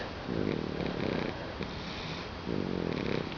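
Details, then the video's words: Louie, a pet dog, sleeping comfortably on a couch indoors, gives two rasping, droning snores, each lasting about a second, with a quiet breathing pause between them. "snoring Louie the dog"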